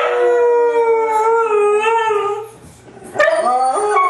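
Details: Three white huskies howl together, long sustained tonal voices overlapping around a wavering pitch, fading into a brief lull before rising howls resume near the end.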